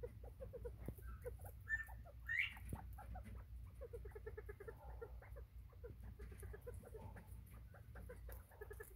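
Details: Recorded 24 September 2023, bobwhite quail utter two rising whistles amid a near-continuous chatter of quick, soft, repeated clucking notes, with a low background hum throughout.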